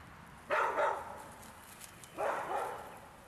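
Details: Large dog barking during a walk, two loud broad barks about one and a half seconds apart over a quiet outdoor background.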